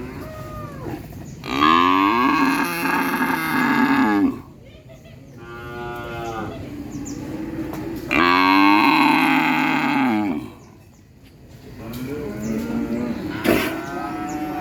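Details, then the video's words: Cow mooing, a real recording: two long, loud, rich moos around two to four seconds each, separated by softer lowing, plus a brief sharp click near the end. "SUARA SAPI MOOOO 3 MENIT COW SOUND EFFECT MOOO 3 MINUTES , SUARA SAPI ASLI"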